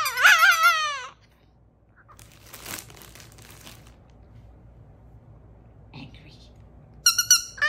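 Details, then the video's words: Chihuahua Cedric howling emotionally indoors after receiving squeaky toys: a long wavering high howl in the first second, then rustling and a brief squeak, and a second high harmonic-rich howl near the end. "Chihuahua Cedric Receives Squeaky Toys And Starts Emotionally Howling"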